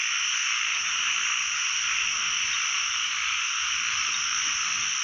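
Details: A constant, thick chorus of narrow-mouthed frogs filling a pond, heard on the first frog-catching outing of the year; countless overlapping calls blur into a steady buzzing wash.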